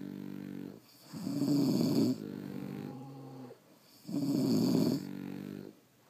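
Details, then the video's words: Two deep snoring breaths from French Bulldogs sleeping indoors: each a loud, gravelly drawn-in rasp followed by a weaker, lower whistling exhale, separated by short quiet pauses. "Snoring French Bulldogs"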